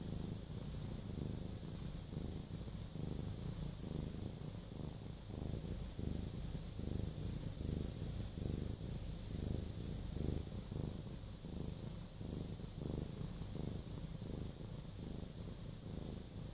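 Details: A domestic cat purring, recorded close up for ASMR: a continuous low, rumbling purr with steady rhythmic pulses throughout, over a faint, even background hiss.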